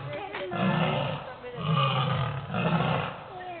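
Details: Zoo lions heard roaring out of sight: three deep, rumbling roar pulses about one second apart, mixed with a person's voice nearby.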